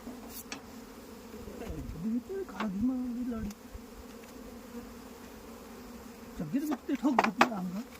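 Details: At a beekeeping farm in India, individual honey bees fly close by, their buzz wavering up and down in pitch and growing louder in passes, over a softer background hum of the colony, with a few clicks.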